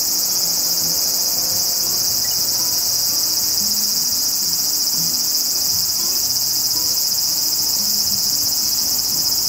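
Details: Graptopsaltria nigrofuscata, the large brown cicada of Japanese woodland, singing in summer. An unbroken, frying-oil sizzle holds steady for the whole stretch, bright and high, with only a faint low murmur beneath.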